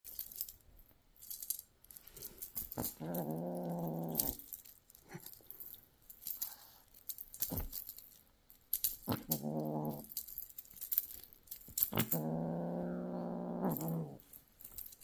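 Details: British Shorthair kitten in golden colour, born January 2024, kept indoors, in predatory play: three drawn-out low growling rumbles of about one to two seconds each, separated by quiet gaps with scuffling and clicks.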